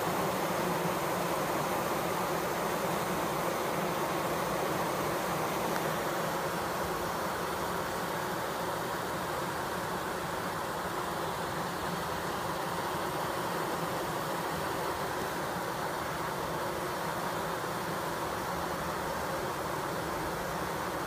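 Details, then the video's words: Close-up recording of fanning bees, a continuous broad buzzing drone with steady low hum bands, holding the same level for the whole stretch without pauses. "Close up HD bees fanning"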